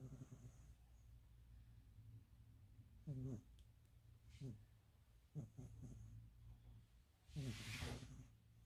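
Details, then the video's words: Pet cat asleep and snoring loudly, almost human-like, giving short rasping snorts at uneven gaps, then a longer breathy, noisy exhalation near the end, with a quiet low hum throughout. "แมวนอนกรน ยังกะคน😁😁กรนดังมาก Schnarchen Katze"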